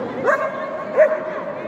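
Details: Border Collie at a JKC 2022 agility competition at Dragon Hat in Shiga, Japan, on 3 December: two sharp mid-pitched barks about 0.7 seconds apart over a steady hall murmur.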